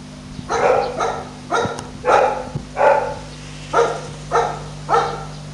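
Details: Young French Bulldog pup barking in a loose series of about seven short, bright yaps spaced roughly a second apart, with a faint hum beneath.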